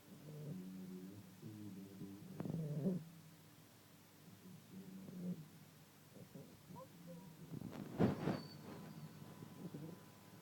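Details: Sleeping Staffordshire terrier puppy, female, roughly 14-15 weeks old, snoring in soft, low rumbling breaths that come in uneven bursts, with a brief sharp rustle near the end.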